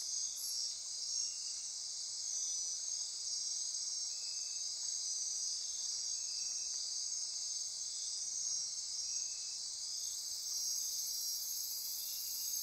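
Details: Nighttime insect chorus in Costa Rican rainforest near Corcovado National Park on the Osa Peninsula: dense, steady high-pitched buzzing and trilling bands, with a softer pulsed note repeating every couple of seconds underneath.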